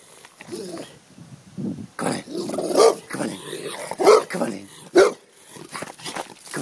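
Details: Large American bulldog barking in play, its loud, punchy barks coming in a quick irregular series while a person's voice repeatedly calls and talks alongside.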